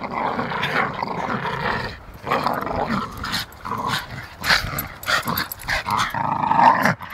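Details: Staffordshire Bull Terriers, two dogs wrestling in play, uttering rasping growls broken into uneven bursts, with a few sharper yelping notes toward the end.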